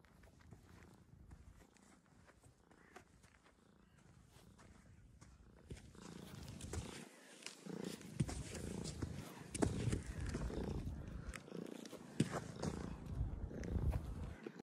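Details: Domestic cat purring: a soft, continuous low rumble that grows louder and rougher in the second half, with faint scratchy rustling throughout.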